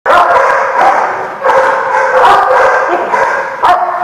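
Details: Dogs barking at a lot recorded 5/4/19, a dense overlapping chorus of harsh mid-pitched barks with almost no pause, several dogs calling at once, and sharper single barks standing out near the start and end.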